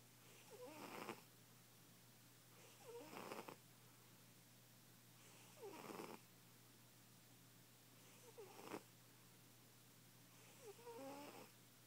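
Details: A loudly snoring fat cat, fast asleep. Five raspy, whistling breaths arrive about every two and a half seconds, each a brief burst of hissing noise with squeaky tones, separated by quiet pauses.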